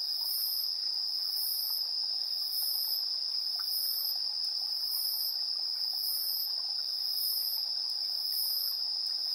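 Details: Insects chirping at 7:04 PM on September 3, 2022, captured in AB stereo on a TASCAM Portacapture X8: an unbroken, steady high trill runs throughout, topped by very high, pulsed bursts recurring roughly once a second.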